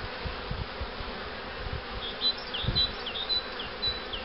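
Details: Steady low drone of a honey bee colony at hives set up for queen rearing, with a cell-acceptance starter hive nearby; soft thuds throughout and a short run of high, thin bird chirps near the end.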